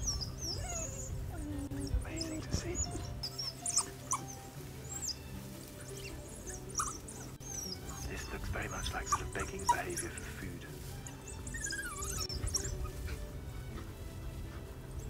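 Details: An African wild dog pack, playful and showing submissive behaviour on full bellies very close to observers, trades high, bird-like chirps and squeaks in a social exchange.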